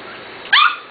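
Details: Corgi puppy, almost seven weeks old, from the Katie and Venus litters, recorded 28 June 2013: one sharp, high yelp bursts out mid-clip and fades quickly over a quiet background.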